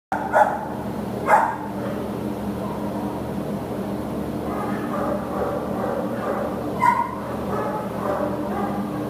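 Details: American Pit Bull Terrier awaiting adoption at a shelter, recorded 15 September 2015: a few short, sharp barks, two close together near the start and one later, over a constant loud humming background.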